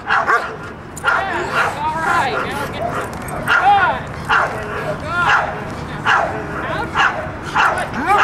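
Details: Mako, a dog in protection training, barks after the out in a steady string of short, bright barks, about two per second, mixed with a trainer's coaching voice.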